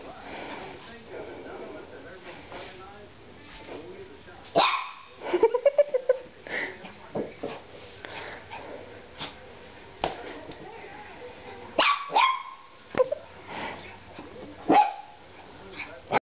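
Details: Female dog named Pixie playing indoors and going after a person's feet, giving short, high little barks and yips in scattered bursts, mixed with a woman's playful talk and handling noises.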